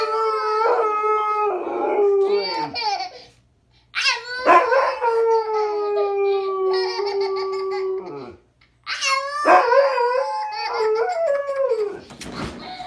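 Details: Pet dog howling while a boy talks to it indoors, long sustained tones that start high, slide down and hold steady for several seconds, three howls with short pauses between, some higher yips mixed in.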